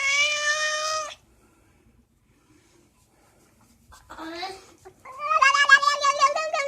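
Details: Pet cat vocalizing while being scratched, giving a steady meow, then after a pause a short rising cry and a longer wavering, quavering yowl with rapid pitch wobbles.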